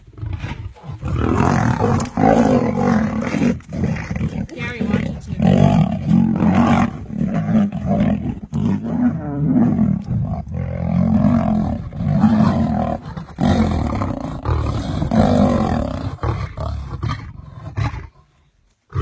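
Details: Male lions in a coalition fighting in the Masai Mara, a younger male attacking an older one over a lioness in heat: continuous harsh, deep snarling and roaring growls, rough and overlapping, barely pausing for nearly twenty seconds before ending abruptly.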